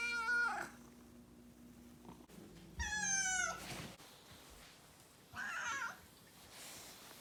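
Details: Roughly two-year-old house cat voicing siren-like protest after its owner's late nights: three wailing meows, one long and bending downward, separated by pauses with faint rustling.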